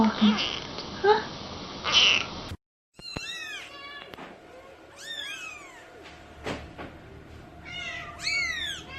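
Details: Kittens or cats meowing: after a noisy opening with muffled sounds and a brief silence, a series of high, arched, clear meows rises and falls, coming in quick clusters over several seconds in a quiet indoor setting.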